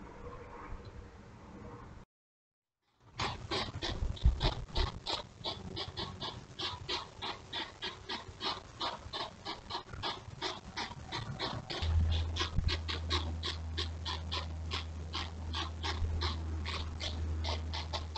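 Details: Two courting hedgehogs beside a house at night, recorded by a trail camera around 2am on 28 June 2023, puffing like little steam engines: rapid, rhythmic snorting puffs, about three per second, over a steady low hum in the later part.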